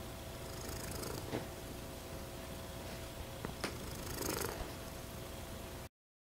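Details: A female American Shorthair cat, silver patched tabby, purrs in a steady, low, rumbling drone, broken by a few soft clicks.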